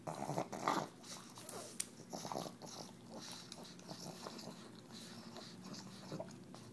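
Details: Indoor pug licking and chewing cheese from a KONG toy, giving rough growling grunts and wet smacks, louder at first then settling into a steady stream of snuffly chewing sounds.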